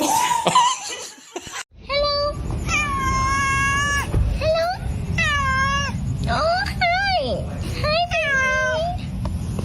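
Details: Pet cat meowing indoors with a series of long, level, tonal meows that repeat every second or so, some bending upward at the ends; a brief human voice at the start.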